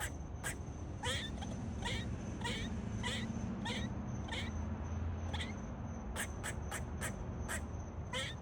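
A squirrel gives short, sharp, quacking barks repeated about twice a second, warning of danger.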